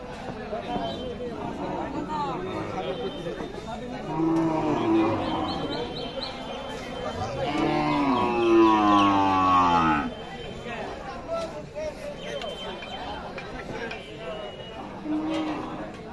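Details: Cattle at a busy cattle market at Jorshimuli Bazar, Kamrup district, Assam, India: a first drawn-out, harmonic moo, then a longer lowing call swelling and falling away over steady crowd chatter and murmured voices.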